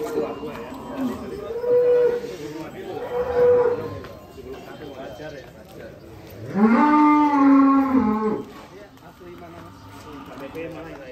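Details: Belgian Blue cattle at an extreme-class cattle contest at Bintang Tani Farm, Indonesia: one long, drawn-out moo of nearly two seconds near the end, after shorter tonal lowing sounds, with crowd chatter in the background.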